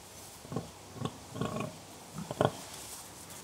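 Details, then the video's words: Gentle grunting from contented pigs voicing contentment: four brief, low, gruff grunts about half a second apart, the last a doubled and louder one, over a quiet hiss. "Harmonious Grunts: Pigs in Serene Conversation"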